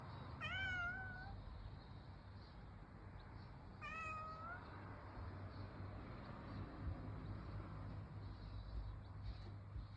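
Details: A calico cat in summer giving two short, clear meows about three seconds apart, each rising slightly then falling, fairly quiet against a steady low rumble and faint high buzzing background.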